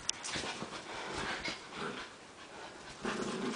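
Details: Two small dogs, a gray Maltichi and a white Maltipoo, play fighting indoors: rough panting and breathy huffs with a low growl near the end, plus scuffling.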